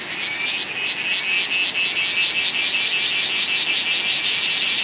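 A cicada gives a loud, steady, high-pitched buzz with a faint rapid pulsing throughout.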